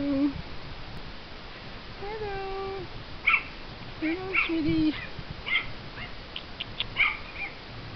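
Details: Miniature Schnauzer puppies at play: thin whines and short squeaky yelps come in scattered bursts over a quiet room background.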